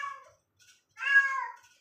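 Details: A pet domestic cat meowing indoors: a brief faint mew, a tiny squeak, then a longer, clear, nasal meow of about half a second that rises and falls, with no other sounds.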